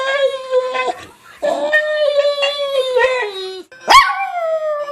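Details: Pet dog making weird, human-like sounds: a sustained, steady, tonal howl held for about a second. It breaks off, resumes and slides slightly lower, then ends with a sharp yelp that rises and falls before tapering into a long wavering howl.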